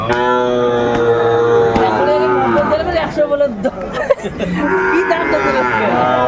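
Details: Sahiwal bull calves at a cattle market where Dhaka farmers buy stock, 8 May 2024: a long, drawn-out harmonic moo holds steady, then wavers, with men bargaining loudly over the lowing.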